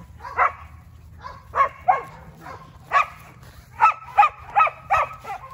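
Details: Seven-week-old Border Collie puppies (litter born 19/04/2022, German father, Russian mother) recorded on 7 June 2022 give a string of about ten short, high yapping barks, irregularly spaced and bunching closer together toward the end.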